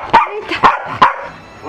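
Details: Corgi barking in a pool: three sharp, harsh barks spaced about half a second apart, then a brief quiet stretch.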